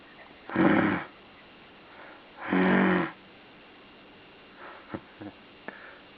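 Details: Puppy or dog giving two loud, rough, snore-like breaths about two seconds apart, followed by faint clicks and small sniffing noises in a quiet room.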